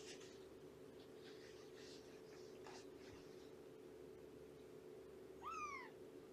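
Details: Indoors at a foster home on a morning visit to a rescued mother cat and her kittens, a cat gives one clear, brief meow near the end that dips downward, after soft rustling and handling noises, with a constant low hum underneath.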